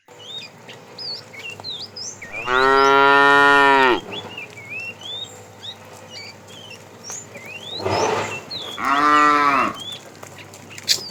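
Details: Tame cow herd driven in the afternoon as a fat cow calls the female: a long harmonic moo, then a burst of noise and a shorter second moo, with bird whistles throughout.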